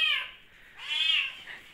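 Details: Hungry kitten indoors during lockdown giving two short, high, whining meows, the second louder and wavering, with a pause between.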